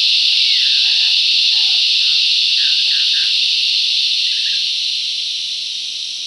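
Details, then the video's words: Loud cicada chorus in the bush, a continuous shrill buzzing wall of sound that fades slowly toward the end, while brief soft bird chirps sound underneath. "Listen to the cicadas crescendo's and diminuendo's"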